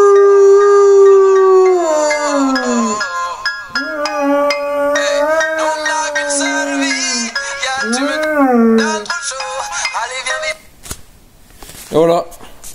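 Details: A singing dog howls along to music, long sustained wavering tones that slide down, level off and rise again in drawn-out phrases, then break off into quieter fragments near the end.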